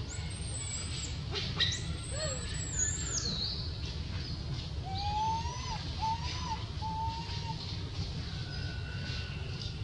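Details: Baby monkey in Cambodia voicing its sorrows: three short tonal coos, each rising then falling slightly, come in quick succession midway, after thin high whistled squeals early on, over a steady low rumbling background.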